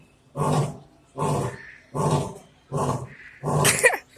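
A lion gives a series of deep, coarse grunting roars, each about a second apart.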